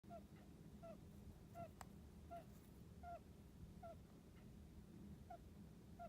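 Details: Sleeping hamster snoring: faint, short squeaky chirps, each with a slight downward bend, repeated roughly every three-quarters of a second over a steady low background hum.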